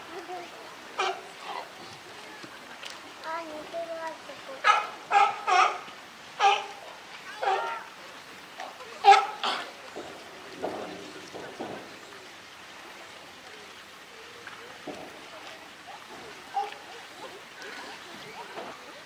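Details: California sea lions at Higashiyama Zoo and Botanical Garden, 12 September 2023, group boss Felix: scattered harsh barks through the first half, fading to quieter background with occasional faint calls later.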